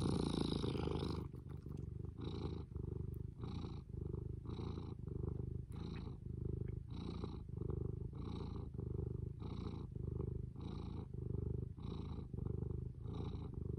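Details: Cat named Fū purring in a low, even rumble, each breath cycle about a second long, repeated steadily for over a dozen cycles; a brief brighter rustle at the very start.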